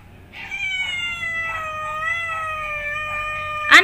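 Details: Angry cat giving one long drawn-out caterwaul, a steady whining tone that sags slightly in pitch over about three seconds, ending in a sharp burst.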